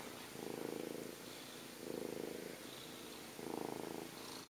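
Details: Cat purring while cuddling: a low, steady rumble that swells in three long breaths about every one and a half seconds, softer between, with a faint hiss of room noise.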